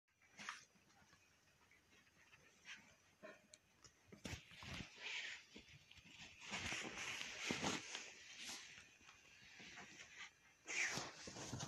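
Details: A dog annoying its mother, giving short scattered barks and whimpering yelps in bursts, louder clusters around the middle and near the end, with rustling and scuffling between.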